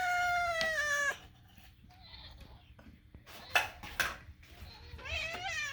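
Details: Indoor domestic cat named Moo, eating, gives one loud clear harmonic meow for about a second, then quieter chirps and a wavering call near the end; faint rustling and brief human voice sounds in a small room.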